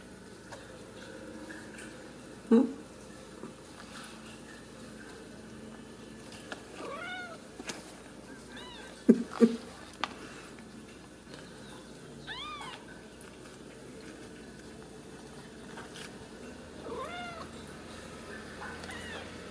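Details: Ragdoll kittens raised in a home cattery in central Kansas, not kept in cages. Several faint, high, arched meows are spread through a quiet indoor recording, each a short rising-then-falling cry, with a few sharp clicks between them.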